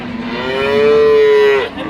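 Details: Friesian dairy cow at Ambari cattle market: one long, steady, mid-pitched moo lasting about a second, with a rich harmonic tone that fades at the end, over constant market crowd and traffic noise.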